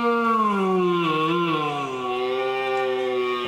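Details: A white red deer stag in an animal reserve forest near Mugron, Aquitaine, France, gives a long, deep, groaning bellow during the October rut, seemingly directed at its keeper, who says the stag is not happy with him.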